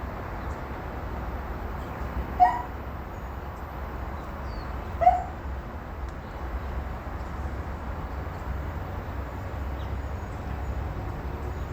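A dog gives two short, sharp barks a few seconds apart over a steady low rumble.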